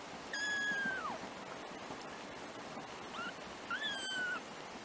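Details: Three-week-old black kittens, a first litter of four from a house cat; two clear high mews with slightly falling ends, separated by a short quieter squeak, against constant hiss.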